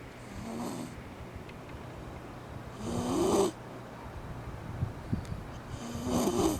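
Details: Eri-chan, a Shiba Inu, snoring as she sleeps with her eyes open in hot summer weather; three rasping, wheezy snores roughly every three seconds, each with a whistling upper edge, separated by quiet breathing pauses.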